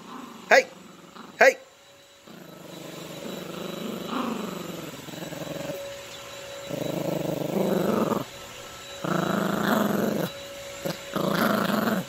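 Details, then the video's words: Yorkshire Terrier puppy named Gracie growling while playing with a dog toy and a man; long rumbling growls in several sustained bursts with short pauses, opened by two sharp clicks, a man's voice briefly heard. "Yorkshire Terrier Puppy Growling and Playing with Daddy & the Dog Toy"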